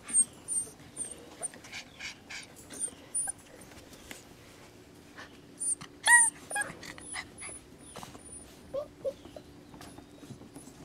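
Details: Rescue puppies whimpering: thin, high squeaks come in scattered short bursts, with a louder cluster of rising whines near the middle, over a steady low hum and some soft knocks.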